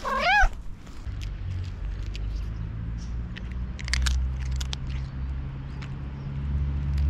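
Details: Tuxie, a hungry, friendly tuxedo cat called to breakfast, lets out one short wavering meow at the start, then chewing and crunching clicks follow over a low rumbling engine-like hum.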